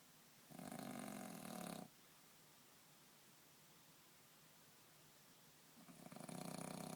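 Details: Sleeping French bulldog sprawled out on a bed, snoring deeply: two coarse, vibrating snores, each about a second and a half, separated by a long quiet exhale, the second snore rising in at the end.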